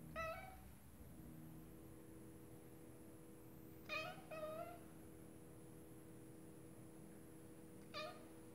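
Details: A female Scottish Fold cat sitting and watching birds through a window gives short, clear meows, a pair in the middle and single ones around them.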